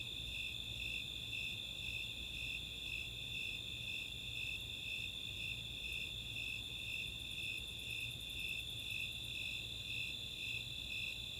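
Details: Snowy Tree Crickets and Four-spotted Tree Crickets in a summer night chorus, open space of Chautauqua, Boulder, Colorado: a high pulsed chirp repeating about twice a second over a steady shrill trill, with a burst of rapid high Greater Angle-wing Katydid ticks midway.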